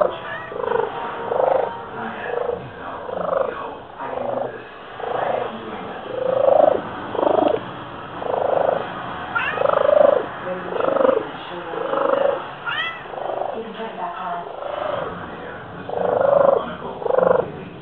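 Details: Male pet cat purring loudly, said to sound just like a pigeon: a steady run of breathy, cooing pulses repeating roughly every second, with two brief rising squeaks midway.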